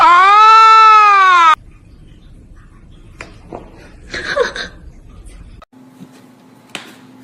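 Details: Domestic cat giving one loud, drawn-out meow of about one and a half seconds, rich in harmonics, rising slightly then falling, followed by near quiet with faint clicks and rustling.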